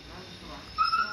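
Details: Siberian Husky puppy screaming as maggots are removed from its wound: a sudden high, steady, tonal cry rising out of low background noise, with people speaking nearby.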